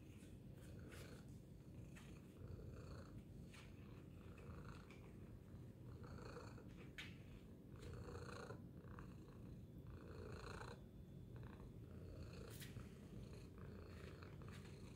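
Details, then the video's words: Tacy the cat gives a loud, steady purr, a deep low rumble running unbroken throughout, punctuated by small clicks and soft rustling. "Loud Purring Tacy Cat"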